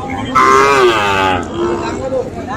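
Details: A Sahiwal bull calf at Ambari cattle market in Tangail, Bangladesh, on Friday 25 August gives one loud, rich moo lasting about a second, slightly rising, then a softer lowing follows amid market noise.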